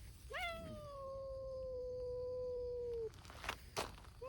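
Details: Calico-and-white female cat among a group of stray community cats at a noisy outdoor gathering: one long drawn-out meow held steady for nearly three seconds, then brief rustling sounds.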